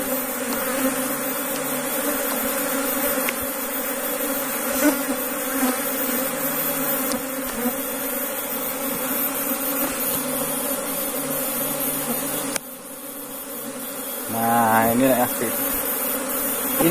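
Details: Steady humming drone of Asian honey bees (Apis cerana) in a beekeeping box in Indonesia, briefly dropping near the end with a short rising sound.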